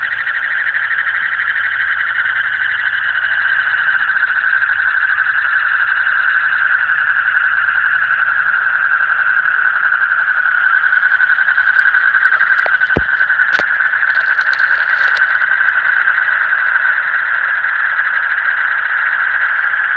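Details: Chorus of frogs heard in the deep night, a long steady rush of fast pulsed trills at a constant pitch, with two short sharp clicks midway.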